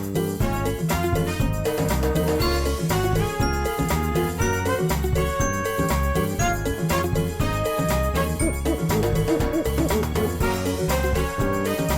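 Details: Bright, jingling background music with bell-like chimes and a steady beat fills the whole stretch, and no animal sound is heard.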